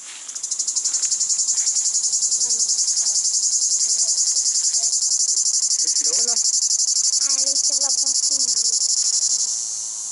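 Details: A cicada at Monêtier in summer holds a loud, high, shimmering buzz without a break, with people talking quietly underneath.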